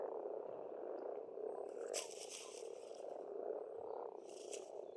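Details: Frogs at an Estonian farm pond in spring, a dense low croaking chorus that runs without pause, broken twice by short rustling, hissing bursts.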